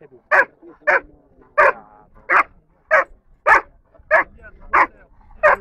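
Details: Dobermann, third in the junior class at an A.I.A.D national gathering in Rome on 21 March 2010, giving nine loud, short, rough barks in a steady series about every half second.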